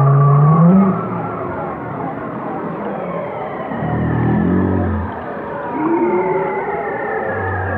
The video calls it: chant des baleines 8